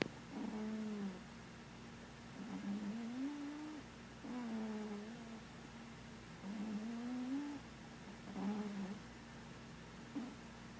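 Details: Dreaming in its sleep, Marshmallow the cat makes a steady run of low, wavering snoring moans, about five of them, each rising or dipping a little, roughly one every two seconds, indoors with a faint hum.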